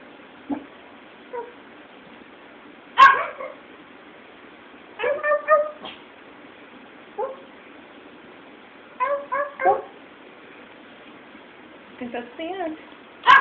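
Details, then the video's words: A female Pomeranian being coaxed to howl produces scattered short yips and brief wavering, tentative howl-like notes in small bursts across the stretch, with quiet pauses between and a sharp bark at the start and end. "Trying To Teach Our Pom to Howl"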